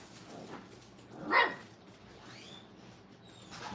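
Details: Brittany puppy during crate and tunnel training at a kennel: one sharp, high yelp bursts out mid-clip, followed by a faint rising whine, then quiet indoor background with soft rustling.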